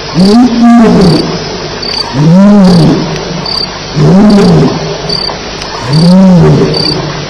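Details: Lions at Elephant Plains at 2:11am on July 9, 2010, heard around a night fight. Four deep, arched, moaning grunts rise and fall, one about every two seconds, over a steady high chirping of crickets.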